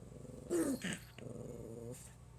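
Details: Pomeranian puppy trying to scare its owner opens with a short rising yelp-like note, then settles into a steady low rumbling growl lasting about a second.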